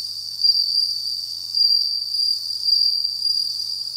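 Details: Kept bell cricket singing at the start of autumn, a steady high-pitched ringing trill with a faint upper overtone, swelling and fading in short waves without any pause.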